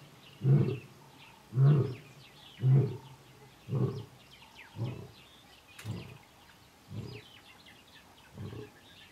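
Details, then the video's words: A male lion in the Kgalagadi, recorded in March 2018, calls for his coalition brothers with a series of deep, grunting roars, each about a second apart and slowly fading. "Kgalagadi lion roaring"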